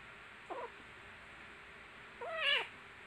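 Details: Kittens playing and fighting together, giving a short faint meow followed by a louder, longer wavering mew that rises and falls, over a steady background hiss.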